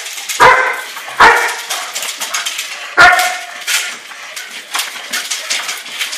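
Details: Bite work with a German Shepherd: three sharp, loud barks in the first three seconds, then softer scattered noises and faint background sound.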